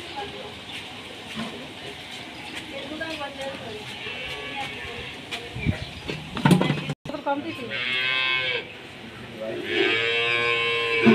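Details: Dairy-farm cattle: after clattering and knocking, two loud, harmonic moos come late in the clip, the second one long and sustained, with background music.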